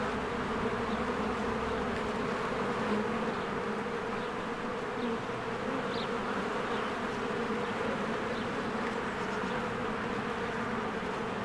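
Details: Busy honeybees at their hive in spring, with flowers blooming and trees greening. A continuous, dense insect drone holds steady throughout; occasional soft, short high notes flicker above the deep, even buzzing.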